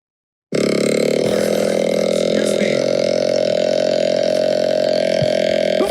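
A male deer gives a long, rough, droning mating call that holds one low pitch.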